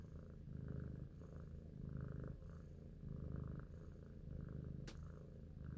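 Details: Purring from Big Shoes, an intelligent domestic cat lost in thought; low buzzy rumble pulsing with inhale and exhale around once per second, one brief sharp tap just before the end.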